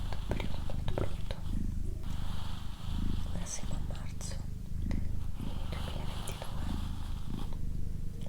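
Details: Low, continuous purring from Doroti, a pet female cat, pulsing roughly every second as she breathes in and out, overlaid by quiet whispered words and occasional soft clicks.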